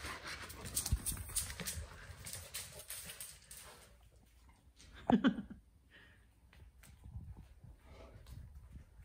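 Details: Basset Hound Vincent, or Vinny, is excited before dinner. Rustling and panting-like breaths come first. Around five seconds a short, strong whine with clear stacked overtones stands out, and then quieter shuffling and faint whimpers follow.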